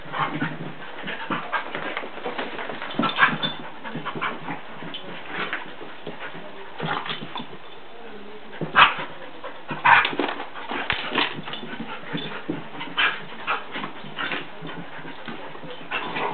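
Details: Playful tussle between two dogs, Sadie and Charlie the Jack Russell terrier: a long run of uneven growls, whines and snorting breaths rising and falling, with two sharp knocks partway through and constant faint hiss.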